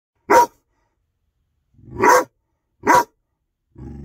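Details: Six-month-old Rhodesian Ridgeback puppy in his yard barking to scare off a cat: three short, loud, single barks spaced about a second apart, then a low, rumbling growl starting at the end.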